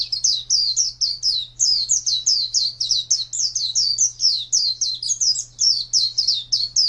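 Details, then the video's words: Pet contest white-eye singing a long, steady chain of high, rapid, twisting chirps with no real pause, a low hum running through the background. "Birds Chirping Pleci Master Joss Chirps"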